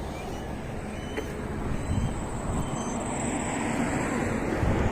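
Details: Constant roar of road traffic with low rumble and a faint high whine; no animal voice is present.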